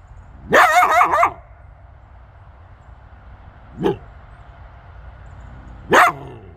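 A coyote gives a harsh, wavering bark followed by two sharp single barks.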